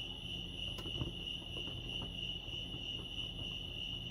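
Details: Crickets chirping at Lake Arrowhead, California: one even, high-pitched trill continues without pause over a soft low background rumble.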